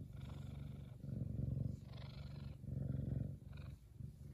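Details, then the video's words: Kumba, a male F2 Savannah cat, purrs loudly while happy: a deep, rumbling low purr in alternating breath phases, about four swells with short dips between them. "Big Cat Kumba Is One Happy Purring Boy!"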